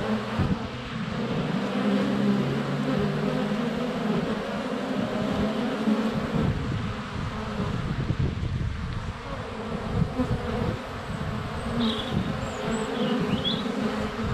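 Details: Honey bees flying close around a hive entrance on a sunny February day, filmed up close with a GoPro Hero 7 Black; dense continuous low buzzing of many wings with shifting drones, a faint high bird chirp near the end.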